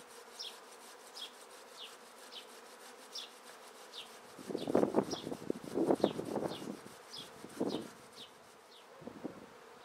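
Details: Swarming honey bees shaken out of a tree into a swarm basket; a continuous droning hum swells into louder rustling bursts midway as the bees are shaken down, while a bird chirps at regular intervals above.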